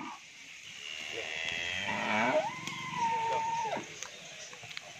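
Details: Sahiwal-Brahman cross bull offered for sale at a dairy farm in Bangladesh, giving a drawn-out tonal moo that rises, holds steady for about a second, then drops away, with a man talking in Bengali before it.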